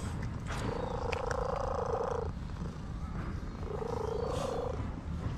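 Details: Beautifully colored orange cat, relaxed under a massage, utters two sustained wavering tonal calls, the first long and the second shorter, with a constant low rumble beneath.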